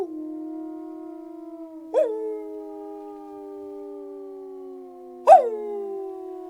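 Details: Nine big pit bulls howl together in long, steady, overlapping tones, with two sharper yelping rises breaking in.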